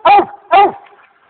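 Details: Monkey, a four-year-old American Leopard Hound, barking at a raccoon treed up a cotton tree in the Mongo swamps after it ran from the corn: two sharp, rich barks about half a second apart, then quiet.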